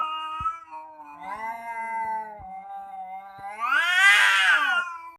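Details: Two cats menacing each other: a low, steady moaning yowl with a few faint taps, then climbing into a loud, rough, high wail near the end.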